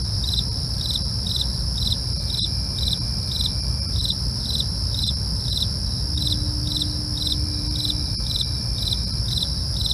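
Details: At night, crickets give regular short high chirps about twice a second; a steady shrill trill runs underneath, with low rumbling noise throughout.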